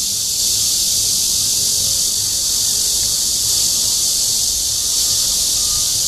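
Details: Red-veined bear cicada (Cryptotympana holsti) giving its mating call at Guangming Park, Yuanhua Road Section 2, Zhongli, Taiwan. A steady, dense, high-pitched hissing buzz holds unbroken throughout, with faint low rumble beneath.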